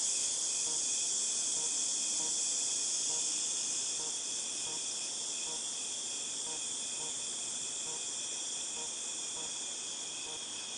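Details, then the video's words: Cicadas calling in August 2018, a dense high-pitched drone that is loudest at first and eases slightly after four seconds, with faint pulses repeating about four times a second underneath. "Cicadas Tinnitus Sound"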